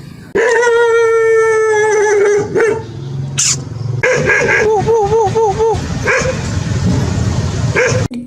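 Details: Dog giving a steady, mid-pitched sustained howl for about two seconds, then after a short gap a wavering, yodelling series of quick pitch wobbles over a noisy background.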